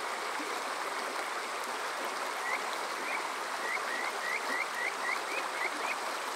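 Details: Summer night at Yokoze in Saitama's Chichibu area, Japan, captured on a TASCAM DR-05X: after a quiet start, a Kajika frog gives a string of short upswept whistles, about ten notes, against constant flowing-water hiss.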